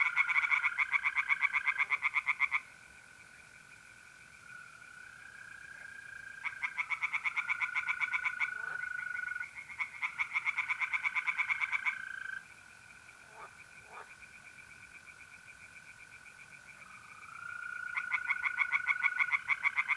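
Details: Tree frogs singing in a pond on an April night in north-east Italy: bursts of rapid, harsh pulsed croaks lasting a few seconds, separated by pauses, over a steady tonal trill of mole crickets.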